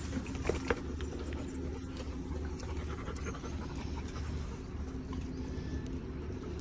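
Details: Labrador Retriever panting steadily while being scratched, a soft continuous rhythmic breathing with a couple of brief clicks near the start and low background hum.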